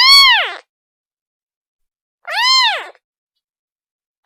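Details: Two piercing, drawn-out kitten meows, rising and sinking in pitch, cried to call its mother, with a third starting as the recording ends; no background noise.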